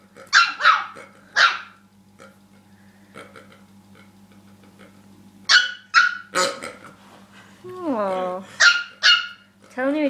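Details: Dog that does not like a pig barks in sharp bursts, three quick barks, a quiet stretch, then more barks, with a wavering whine-like sound and people talking, a steady low hum throughout.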